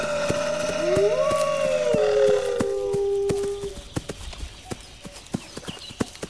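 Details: Several wolves howl together, long drawn-out tones sliding up then settling, overlapping voices for nearly four seconds before fading to leave only a regular sharp clicking.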